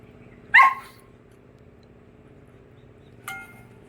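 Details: A domestic dog at home, described as straining to be let loose, gives one loud sharp bark, then a shorter second bark about three seconds later, over a steady low hum.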